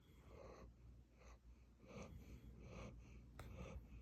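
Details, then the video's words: A dog named Gyeouri snoring: soft breathy snores repeating roughly every 0.7 seconds, each a brief airy rasp, in a quiet indoor room. "겨울이 코골이 자장가"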